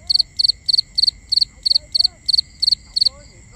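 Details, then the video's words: A cricket calling at night, captured binaurally: a steady run of ten rapid, high three-pulse chirps, about three per second, with faint higher-pitched buzzing and soft lower chirps from other insects behind. "Cricket Conversations | Binaural Nighttime Ambience"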